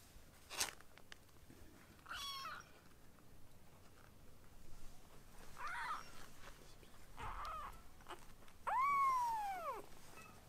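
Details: Baby rescue kittens Ashiro and Akuro, fostered indoors and practising weaning food, give soft scattered mews, then one long loud arched meow near the end, rising and sliding down, over faint household sounds.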